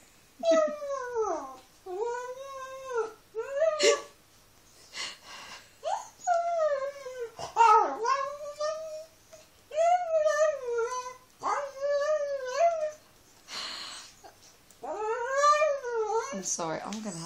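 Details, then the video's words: Pet dog 'talking' in a long series of howling, whining vocal bursts, each rising then falling in pitch with rich overtones, separated by short pauses over seventeen seconds, in a quiet indoor setting. "Funny talking dog video"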